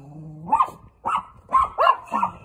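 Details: Chihuahua in a garden under four inches of fresh snow that fell in two hours; a low whine rises into a quick series of about four sharp, high barks.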